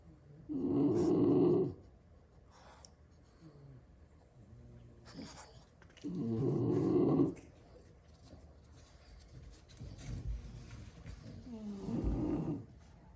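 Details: French Bulldogs, six siblings napping indoors after plenty of play, sprawled on the floor; loud rasping snores about a second long, spaced roughly every five to six seconds, with quieter breathing between.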